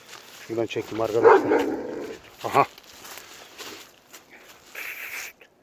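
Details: A Kangal Shepherd Dog gives a few deep, gruff barks in short bursts, agitated by the scent of wild boar and tearing at wood, while a man talks excitedly nearby.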